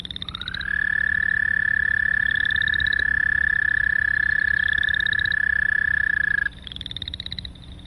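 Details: American Toad giving a long monotone trill that holds one steady pitch for about six seconds, rising briefly at the start, while Boreal Chorus Frogs give short rising pulsed trills in the background.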